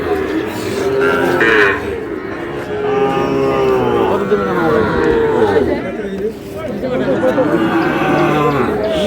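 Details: Sahiwal bull calves at a cattle market in Noakhali on 24 February, lowing in long, wavering, mid-pitched moos that overlap one another, with bargaining voices and crowd chatter running beneath throughout.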